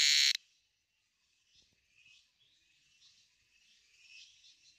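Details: An insect gives a high, buzzy trill rising and falling in soft pulses after a sharp click at the start; this is a sound it makes during the rainy season.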